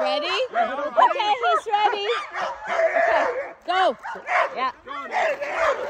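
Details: Two female Alaskan Malamutes, Sojou and Dotty, eager before a sled dog run: rapid wavering yelps and rising-falling whines in quick bursts, with people talking nearby.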